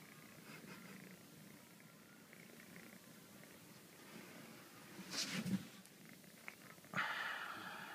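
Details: Purring from Mila, a spoilt Exotic Shorthair kitten craving hugs and scratches: an even low rumble, broken by rustling handling noise and a brief brighter sound late on.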